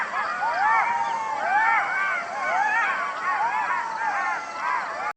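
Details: Golden jackal pack in full howl, somewhat quieter and more distant: a dense tangle of short arching wails and yelps overlapping continuously throughout.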